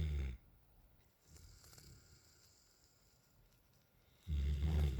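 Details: Sleeping outdoors on a patio, young male Alaskan Malamute Raiden, nine months old, ends one deep snore, goes quiet for about four seconds, then starts another guttural, low snore.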